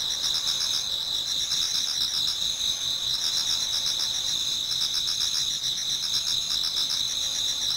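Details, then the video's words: Autumn insects chorusing in a garden in Japan as dawn approaches, many singers overlapping into a constant shrill shimmer, with bead-like pulsed trills running through two bright high bands without pause. "Autumn Insects voice Towards dawn"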